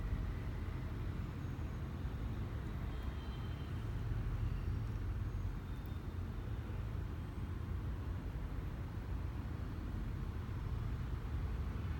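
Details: Continuous low rumble of road traffic and passing vehicles fills the recording, with no animal sounds heard.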